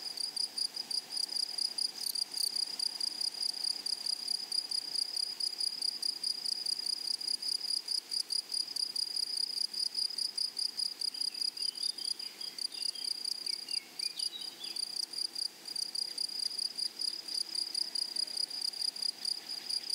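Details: In a flowering prairie meadow, grasshoppers keep up a continuous, high-pitched, finely pulsed trill throughout. A faint, wavering whistle rises in the background around the middle.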